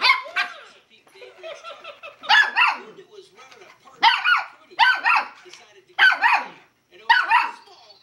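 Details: A Miniature Schnauzer puppy facing a Tickle Me Elmo toy gives high, sharp yapping barks about once a second, with the toy's voice and giggles in the gaps.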